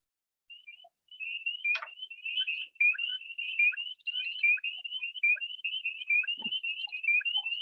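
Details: Spring peepers, a frog native to New Hampshire that calls almost constantly, chorus with many high, clear rising peeps overlapping in a steady shrill stream.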